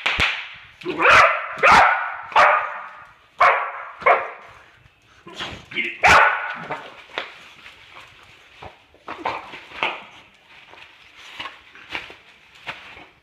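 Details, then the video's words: Mia the Boxer, who hates bubble wrap, barking and yipping at it: loud harsh barks and whines early, then softer scattered yelps and snaps fading toward the end, with speech in the background. "BOXER DOG hates bubble wrap."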